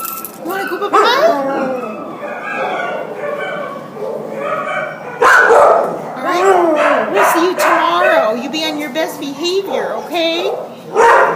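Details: Border Collie Husky cross in a pound, recorded December 27, 2014, gives a long run of wavering wails and yelping cries, rising and sliding, nearly continuous with loud peaks after five seconds.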